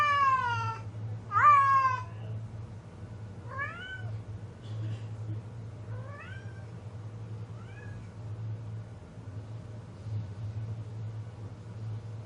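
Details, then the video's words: Cat in heat giving two loud drawn meows early on, then fainter short rising mews every two seconds or so, over a constant low electrical hum. "My Cat in Heat"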